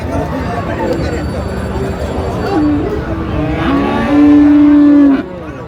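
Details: Busy Raniganj cattle market in Dinajpur, Bangladesh, where Friesian and crossbred bull calves are traded, 24 April 2025: the noise of the crowd dominates until one short, loud, flat moo rises near the end.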